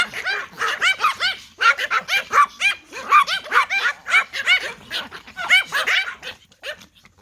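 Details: A group of Toy Pom Pomeranians reacts to a whistle with steady, high-pitched yapping. Bright barks repeat several times a second from more than one dog and fade slightly at the end.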